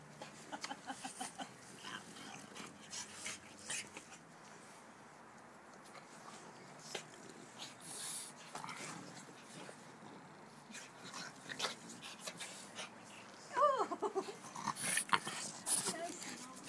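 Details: Benny the French Bulldog wrestling with the nimble pug puppy Joon indoors: bursts of wheezy snorts and grunting breaths scattered through scuffling thumps, with a short high whine near the end.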